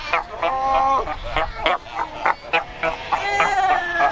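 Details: Cape fur seals gathered at Cape Cross along the Skeleton Coast, a colony numbering over 100,000; bleating, harmonic calls overlapping with short sharp barks, several each second, crowded rocky shore.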